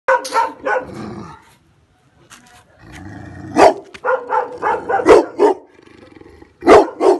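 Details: Male Boerboel dog in a sugar cane plantation in Uganda, giving several deep, broad barks in short bursts, with pauses between them and some low background rustle.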